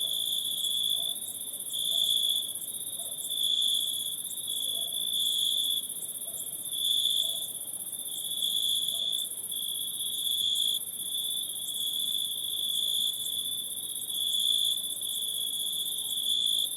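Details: Night-time forest insect chorus, a steady shrill trill held without a break, a second very high hissing layer above it, loudness rising and falling in gentle waves roughly every two seconds.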